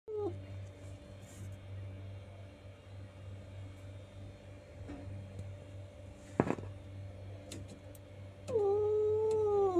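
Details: Cat; meow; expressing anger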